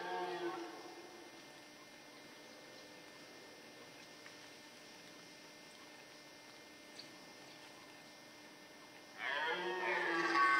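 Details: Red deer during the rut in the Forêt de Chaux, Jura, near Dole, France, where males fought among hinds; the tail of a hoarse roar fades at the start, then near silence, until a harsh, harmonic bellow breaks out near the end.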